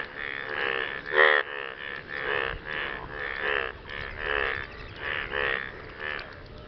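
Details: After rain, frogs call to attract partners with loud, grating, pulsed croaks in separate bursts about every half second to second. One sharper, louder note stands out near the start, over faint background hiss.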